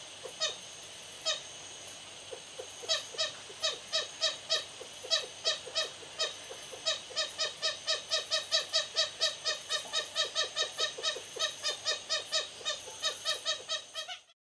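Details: Lesser galago or bushbaby at Raptor's View Wildlife Estate, Hoedspruit, South Africa, calling in the evening as a rival family followed the resident family's path from roof to trees. Sparse sharp calls speed up into a dense, rapid, quickening series before stopping abruptly.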